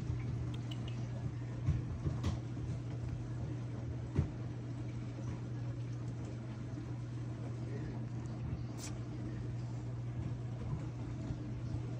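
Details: Quiet indoor room noise with a steady low hum and a few faint clicks, with no animal sound.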